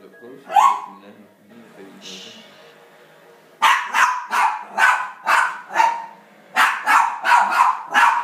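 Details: Rat terrier reacting to elk hunting footage on TV, an opening yelp and quiet TV sounds, then a run of sharp, rapid barks in two bursts.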